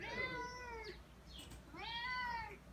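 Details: Tuxedo cat at the door, meowing to be let out into the backyard; two long whining meows with bright stacked harmonics, each sliding gently downward, separated by a brief pause and a soft rustle.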